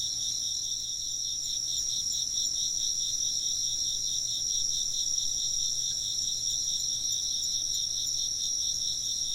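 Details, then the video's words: Chirping insects in an ambient night-time soundscape: a steady, very high continuous trill layered over a slightly lower band of rapid, evenly pulsed chirps that run without pause throughout, with a faint low hum beneath. "風鈴の音と虫の声 - wind chimes and chirping insects"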